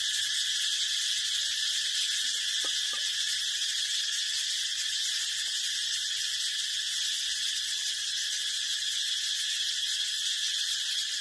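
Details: A brown cicada's steady, piercing buzz fills the whole stretch, a constant high hiss with no rhythm or breaks, only a couple of faint clicks underneath.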